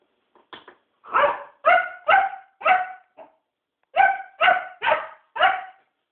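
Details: Rufus, a puppy, barking during a night-time play session indoors: bright, harmonic yaps in an uneven string of about ten, with a gap near the middle before a final run of four sharp barks.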